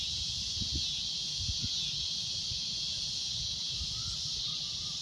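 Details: At sunset a cicada keeps up its shrill, loud drone, a continuous high hiss without breaks, with soft low thumps of wind or handling and a faint brief tone near the end.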